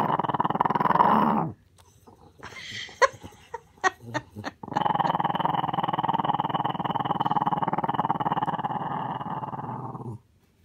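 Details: Little dog growling deeply: a rumbling, rapidly pulsing growl for about a second and a half, a pause with a few sharp clicks and thumps, then one long steady growl lasting more than five seconds before stopping abruptly.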